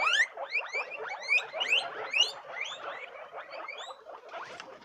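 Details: Several guinea pigs squealing together: a dense, overlapping chorus of short, high, rising squeaks and chirps, bunched in quick bursts, fading slightly toward the end.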